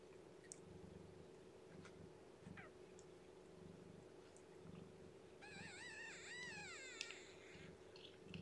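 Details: Underweight, lethargic newborn female kitten, Shelby's young, mewing as she is hand-fed and warmed indoors with no kitten pile. Soft clicking and suckling noises come first, then one drawn-out, quavering high meow near the end.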